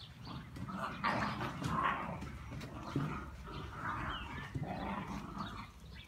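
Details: Labrador Retriever puppies, two and a half months old, from Osa de la Luna's litter in Olivares, Seville, playing together: short whiny yelps and low growly grumbles rise and fall over continuous scuffling and rustling.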